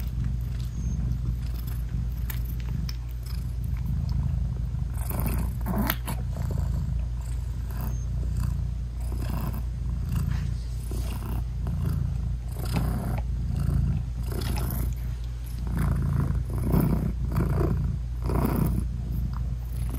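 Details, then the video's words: Nursing British Shorthair mother cat purring continuously to her newborn kittens with eyes still closed; a low rumbling drone runs throughout, with frequent short rustling and shuffling noises on top. "Cat Purring Meowing 🥰Sweet Mommy Cat Talking to her Cute Tiny Kittens 😘British Shorthair Cats"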